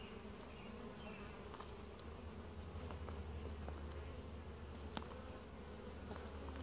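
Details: Quiet honey bee colony during a routine hive inspection; a dense, even buzzing hum with a strong low drone, plus scattered faint taps and higher flying-bee buzzes.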